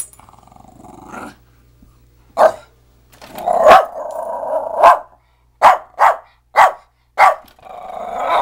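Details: Pet dog arguing with a vacuum cleaner indoors: a drawn-out rumbling growl-whine, then a run of short sharp barks spaced irregularly, roughly one a second, with a low mechanical hum early on.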